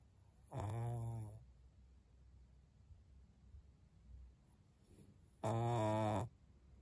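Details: Maria, a 12-year-old senior fawn female pug in Japan, recorded at 23:00 on 14 November 2022, gives two drawn-out, low, voiced moans, each close to a second long and about five seconds apart, with a quiet room between them.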